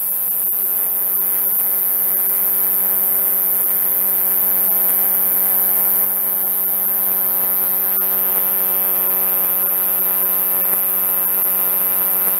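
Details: Captive male sword-bearing conehead katydid (Neoconocephalus ensiger) singing during the night inside a temporary enclosure; a sustained, thin, very high insect buzz runs throughout, partly masked by a louder, steady low electrical hum and scattered soft ticks.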